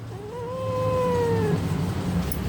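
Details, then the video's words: Mufasa, a pet cat, answers back during a conversation with its owner. It gives one drawn-out meow of about a second and a half that rises, holds, then slowly falls, over a low steady background hum. "Cute Conversation With A Responsive Mufasa-The Cat King"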